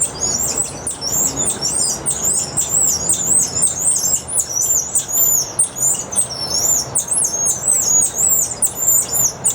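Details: Golden-headed lion tamarin calling at Santa Ana Zoo in December 2012, giving a continuous stream of very high, twittering trills and zigzag chirps for nearly ten seconds, with light background noise.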